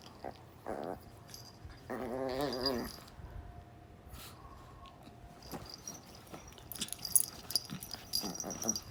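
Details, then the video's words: Beatrice, Gidget and Lynn, dogs at rough play; a short growl, then a longer wavering, whining growl, followed by rustling and scuffling with scattered high clicks and faint household noise. "Beatrice Gidget Lynn play rough!!! Lots of sound effects!"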